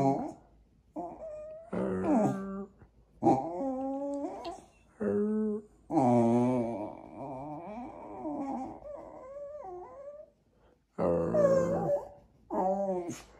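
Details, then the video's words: Jack Russell Terrier "dialoguing" with its owners indoors: a long run of varied whines, yips and warbling, wobbly moans that bend up and down, in uneven bursts with short pauses between. "Jack Russell qui dialogue"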